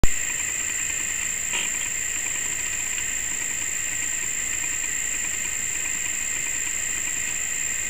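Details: A cricket's steady, high-pitched trill runs unbroken through the whole stretch, one even ringing tone with a fainter, higher overtone, and a soft click near the start.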